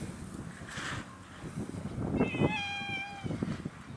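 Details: Cat on Japan's Cat Island gives one clear, steady meow of about a second, tailing off slightly at the end, over a low rumbling background with soft thumps and handling noise.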